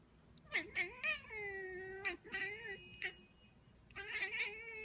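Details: Loud, insistent cat meows: a rapid trio of yelps runs into long, drawn-out, downward-falling wails, then more stretched meows, giving a caterwaul-like, complaining effect with little pause.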